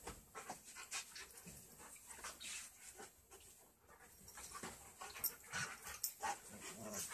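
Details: Australian Kelpie crossed with German Shepherd, heard breathing in quick, rough pants that rise and fall unevenly over several seconds, with faint background rustling.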